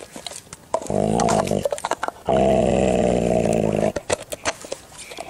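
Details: Indoor recording of a Dalmatian defending his chew bone: a buzzy growl rises briefly, then one long steady rumble of nearly two seconds, with scuffling clicks and faint voices around it.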